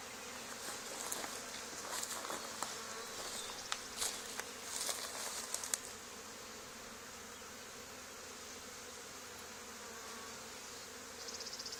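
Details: Honey bee swarm landing on an old barn wall, two days after a nearby hive was cut out: a dense, steady buzzing hum through the first half, with scattered sharp taps and clicks, then fading to a softer drone.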